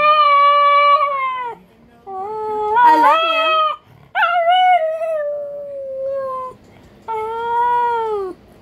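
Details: Pug crossed with Boston terrier and a touch of beagle, vocalizing a howl that sounds like "I love you": four drawn-out, wavering harmonic phrases of one to two seconds, some sliding downward, separated by short pauses.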